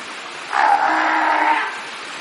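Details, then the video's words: Fur seals swimming in a pool make noise: one drawn-out, hoarse, moaning call lasting over a second, steady in pitch with a faint lower tone beneath, over a constant background hiss. "Kotiki hałasują :) / Fur seals making some noise :)"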